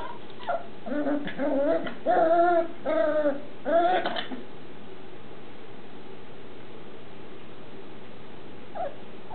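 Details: Red X Turner Shetland Sheepdog puppies at six weeks in an agility playpen give a rapid run of yelping whimpers, some rising and wavering, over about four seconds, then quiet with one faint yip near the end.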